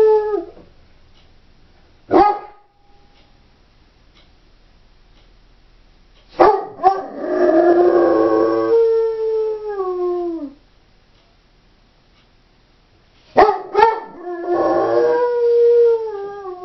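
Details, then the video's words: Doberman bitch howling while left alone at home; short yelps and sharp barks lead into long wavering howls that slide downward, separated by quiet gaps, with a final yelp-started howl trailing off. "Howling Doberman"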